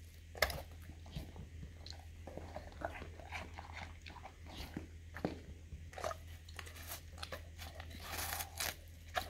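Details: Male English cream golden retriever, a household pet, crunching into a juicy watermelon slice given as a special treat; sharp crisp bites and moist chomping in quick clusters, a few louder snaps, with a constant low electrical hum beneath.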